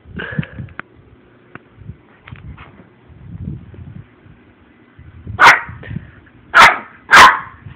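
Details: Ten-week-old male Shih Tzu puppy that likes to play and bite: soft rustling and handling sounds at first, then three loud, sharp barks about a second apart near the end.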